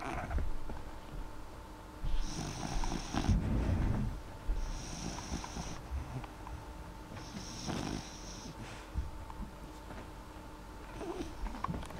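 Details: Sleeping dog named Molly with quiet, unhurried snoring breaths, long airy hisses every two to three seconds over a low rumble and a steady faint hum.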